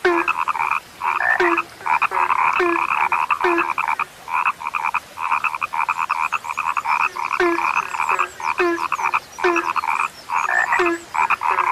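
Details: A chorus of frogs, described as a now-rare sound, keeps up rapid rattling croaks in bursts with short gaps. Lower, brief, dropping notes repeat steadily beneath the main chorus.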